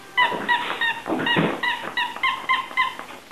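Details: Cocker spaniel puppies playing give repeated high yips and whimpers, several short harmonic cries each second, with soft scuffling between them indoors.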